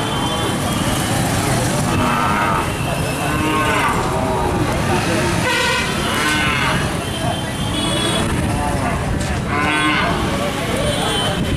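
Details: Cows fighting in Shamgarh, 2019: several loud, harmonic bellowing moos rise every two to three seconds over steady, dense background noise that resembles traffic.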